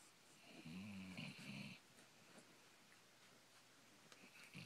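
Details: Sleeping Basset Hound snoring indoors during a puppy slumber party; one long, low, rumbling snore with a buzzy overtone lasts about a second, followed by quiet breathing and faint room noise.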